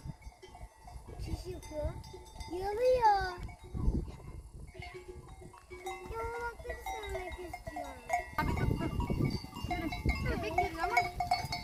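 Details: Herd of goats roaming freely in the mountains, wearing bells. Several wavering bleats come at intervals, a loud one near three seconds, amid clanking bells, rustling steps, and people talking close by.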